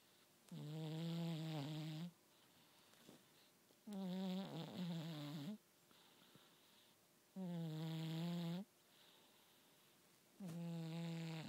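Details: Cat snoring noisily, described as making lots of grunting 'boo-boo' sounds: four long, nasal, buzzing snores of about one and a half seconds each, recurring roughly every three seconds with quiet breaths between.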